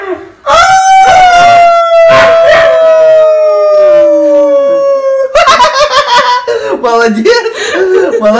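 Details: An East European Shepherd "sings" along with its owner, holding a long, tuneful howl that sags gradually in pitch beside his voice. Afterwards the man speaks and praises the dog in a small room.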